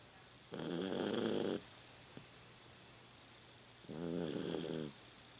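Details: A sleeping 15-year-old Toy Poodle named Rocky, indoors at home, gives two buzzy, rattling snores about a second long each, spaced roughly three seconds apart. His snoring has become louder with age. Faint room hum between breaths.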